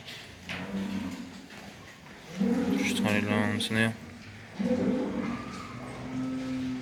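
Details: Farm bulls in Quva district, Fergana region, Uzbekistan, a hybrid among them: two deep, steady moos of about a second each, overlapped by a man's speech in a noisy barn setting.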